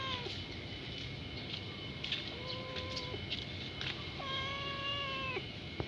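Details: Hungry kitten crying nonstop, asking for food: several drawn-out, steady meows, some with a sharp drop at the start, over a constant hiss of background noise.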